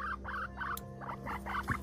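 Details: Male guinea pig named Pipsqueak, kept as a rescue, repeats quick squeaky pulses in an uneven chattering rhythm under a constant low hum, with a faint click partway through.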